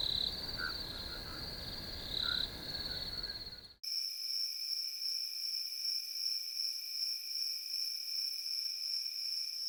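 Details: Crickets chirp in a field. A shrill trill with pulsing bursts cuts abruptly partway through to a different, higher, smoother steady insect whine with a fainter lower tone and no background rumble.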